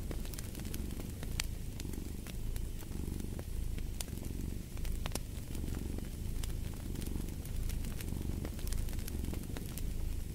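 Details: Domestic cat purring in a steady low rumble that swells and fades with each breath, roughly every second and a half, over sharp crackles and pops from a wood fire.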